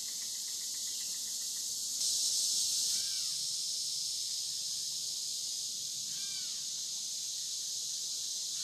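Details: Cicadas along the Licking River at Morning View, recorded between dusk and dawn: a dense, high, steady hiss of insect buzzing with a louder swell for about a second, and a few short chirps from a bird.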